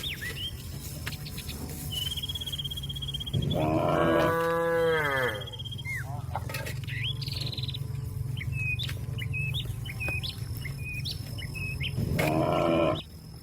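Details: Cattle calling companions to return to the pen: a loud, drawn-out moo falling slightly in pitch, lasting about two seconds, then a shorter moo near the end, with birds chirping and a steady low hum between the calls.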